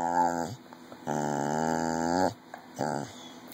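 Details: Red heeler Jr, 14 years old, saying "mama" for a candy reward: three moaning, throaty vocalizations in a row, the middle one longest at over a second, steady in pitch, amid a person's encouraging voice.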